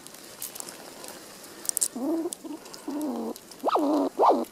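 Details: Squirrel in a winter forest giving a run of four whiny, tonal squeaks rich in harmonics: two drawn-out level notes, then two short ones that sweep sharply up and back down, after faint scattered ticks and clicks.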